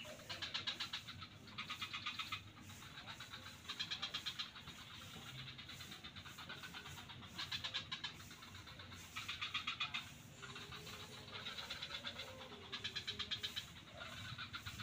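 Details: A chorus of frogs in swampland at Kuta beach, Bali: rattling pulse trains of about a second recur throughout, louder and softer callers alternating, with a low hum underneath.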